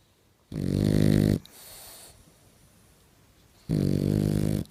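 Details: Boxer dog asleep indoors, snoring loudly: two long rumbling low snores about three seconds apart, each lasting close to a second, with a softer breath between them.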